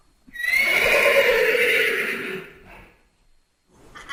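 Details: Single long horse neigh lasting about two seconds, a bright, strained squeal that holds steady and then drops and fades into a low rumbling tail, followed by quiet rustling.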